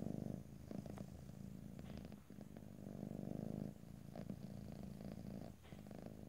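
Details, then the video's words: Domestic cat purring close up in stereo with no talking; a steady low rumbling purr swelling and easing in long breaths, with brief quiet gaps between cycles and faint soft rustles. "ASMR Cat: Purring"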